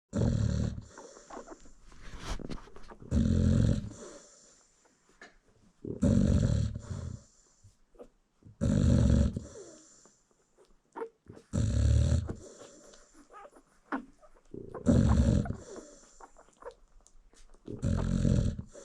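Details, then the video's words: American Bully mother asleep while nursing her newborn puppies, snoring deeply: low, rough, breathy snores about every three seconds, six in a row, with quiet gaps between. "Newborn American Bully Puppies Feeding While Mom Snores"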